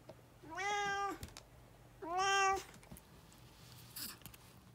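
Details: A chatty brown tabby house cat, energetic after getting over a cold, meows twice indoors. Each meow is long and even, and the second is louder. A faint rustle and a steady low hum sit underneath.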